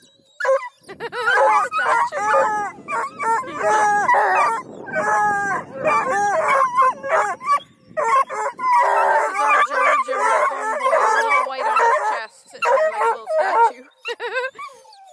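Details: A rowdy pack of registered coonhounds at a kennel near Kingston, Ontario, Canada, including a black and tan male and a big Bluetick, howling and baying almost nonstop, voices overlapping in a dense, wavering chorus.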